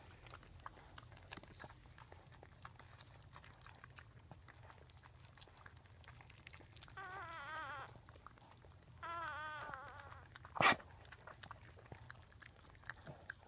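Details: Newborn Dachshund puppies indoors as their mother Daisy gives birth, with her sister Pumpkin helping clean the fifth newborn. Two wavering, high squealing cries, each about a second long, come a second apart, followed by a sharp click amid faint licking and rustling.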